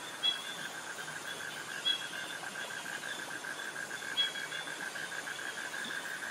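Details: Cicadas and crickets in tropical jungle near mangroves in Krabi, Thailand: a steady, fast train of mid-pitched insect pulses runs throughout, with a few brief higher chirps over a soft forest hiss.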